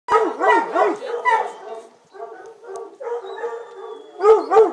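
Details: A female Redbone Coonhound puppy and her littermates give high, arching whines and yelps in quick, uneven succession.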